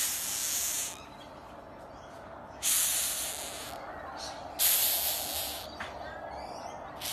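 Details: Rhinoceros beetle in Queensland, Australia, handled by a woman, gives four breathy, broadband hissing bursts, each about half a second to a second long, separated by quiet gaps of one to two seconds.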